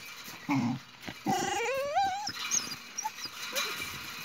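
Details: Boxer and another dog squabbling over a toy. A short low growl is followed by a long, quavering whine that climbs in wavy steps, then small yips and rustling.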